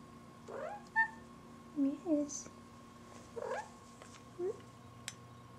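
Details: A pet cat named Buddy, called a pretty girl, answers in a run of quick chirping meows, some rising and some falling, bunched in twos and threes, with a woman's gentle voice around them.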